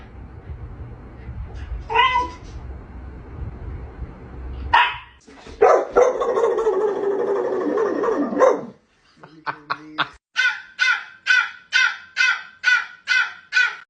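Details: A pet dog's strange sound: a human voice and rough noise at first, then a run of regular, evenly spaced short tonal yelps, roughly one every half second, toward the end.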